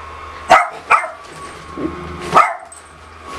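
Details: Female pet dog not taking well to her owner wearing a Pikachu costume, giving two quick barks in succession, then a pause and one more bark, over a constant background hum.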